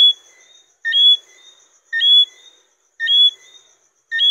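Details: Johnstone's whistling frog (Eleutherodactylus johnstonei), a small, mainly nocturnal frog, giving clear two-note calls: a short lower note, then a higher, slightly rising whistle. The call repeats about once a second over a silent background.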